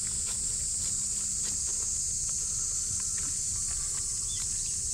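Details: Cicadas droning loudly beside a micro pig, their continuous sizzling buzz filling the background while quick small footsteps and clicks patter below.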